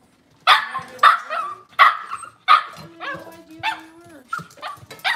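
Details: Cavalier King Charles Spaniels indoors in a kitchen with puppies on a cloudy Monday morning: four sharp, high yipping barks roughly every 0.6 seconds, then softer yaps and a drawn-out lower whine.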